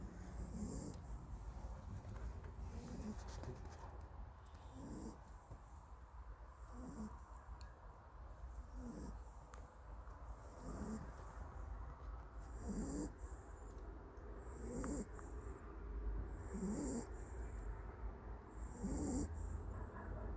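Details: Nap-time snoring from a country dog worn out from running around: quieter low rasping breaths at an even pace of about one every two seconds, under faint background hiss.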